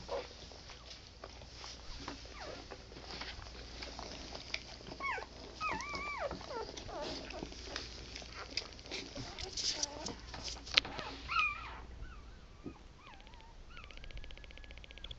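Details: Litter of eleven Pit Bull puppies, six female and five male, sired by Wilkes' Cowboy Blue out of Wood's Silk Tease, twenty hours after the first was born: wavering high whines and squeaks overlap, with human talk in the background.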